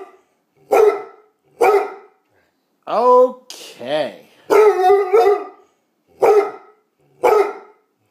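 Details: Bluetick Coonhound wanting to go out; loud single barks about a second apart, a wavering drawn-out howling 'talk' in the middle, then a burst of barks and two more spaced barks.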